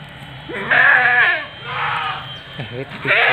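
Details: Seven-month-old Etawa doeling, 70 cm at the shoulder, with a short wavering bleat followed by a softer one, mixed with a man speaking Indonesian close by.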